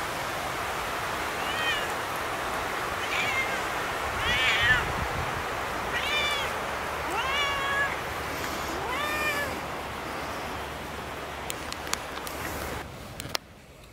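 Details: Siamese cats Otani and Yozora exploring a German forest off-leash, with ferns and mushrooms along a trail. A series of about six or seven arching meows, rising then falling, a few seconds apart. Steady outdoor background hiss, with a few clicks near the end.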